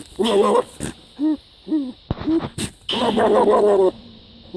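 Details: Goat making unusual loud bleats: a long wavering, tremulous cry, several short rising-falling bleats, then another long quavering cry, with brief sharp knocks between calls.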